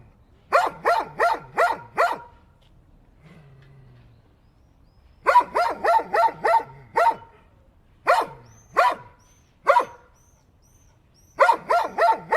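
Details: Dog barks in quick bursts of four to six sharp, repeated barks, separated by short quiet pauses with a faint low hum; later barks come singly, then another rapid burst at the end.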